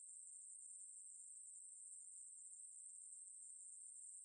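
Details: High, steady hiss-like buzz of a Ruspolia katydid (매부리), from 2020 National Institute of Biological Resources material, continuous over about four seconds with a quiet background.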